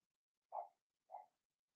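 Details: Two brief, mid-pitched yelps about half a second apart from Cavalier King Charles Spaniel puppies, Blenheim-coloured, in a home puppy pen; the litter of six was whelped March 7–8 and is being potty trained. Quiet room otherwise.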